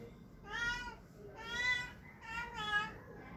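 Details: A cat making funny sounds: three harmonic meows, each about half a second long, the last two run close together, over a quiet indoor background.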